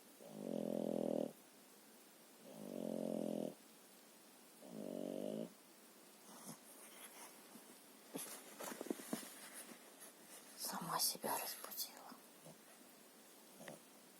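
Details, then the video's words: Lilu, a French bulldog, gives three rough, droning snores roughly two seconds apart, followed by several seconds of rustling and shuffling movement noise in a small room. "Французский бульдог Лилу храпит"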